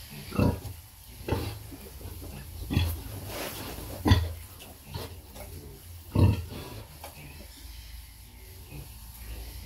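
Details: Nursing sow with piglets, deep low grunts arriving in irregular pulses roughly every one to two seconds, each with a rough, breathy edge, over a constant low hum.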